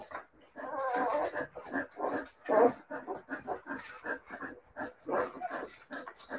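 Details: Siberian Husky puppies whining and whimpering in a dense run of overlapping harmonic cries, with short pauses between bursts and several voices at once.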